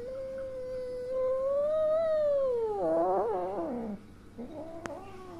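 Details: Kitten Sunia, angry and frightened after being hit by her mother cat, gives one long rising then falling meow lasting about three seconds, ending in a quavering break, followed by a short fainter cry indoors.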